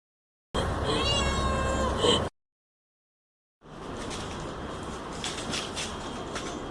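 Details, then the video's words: Two pet cats play fighting indoors, one usually starting it and the other loving to play: a loud, drawn-out harmonic yowl lasting about two seconds, then a break and a stretch of scuffling, rustling noise. "cats fighting"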